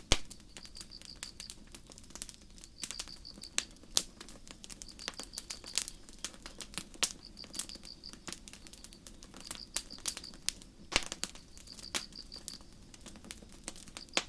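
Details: Crickets at night in a forest, chirping in short, high, pulsed trills that recur roughly every one to two seconds, under loud, irregular crackling and popping of a campfire throughout.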